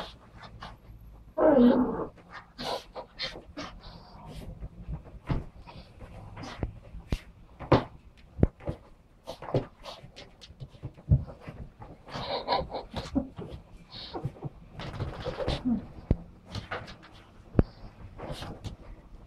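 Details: Six-month-old female Yorkshire Terrier puppy indoors during her first shower, calm and easy; soft rapid panting breaths with brief whimpers, a short tonal whine early on, plus scattered clicks and knocks in a small room.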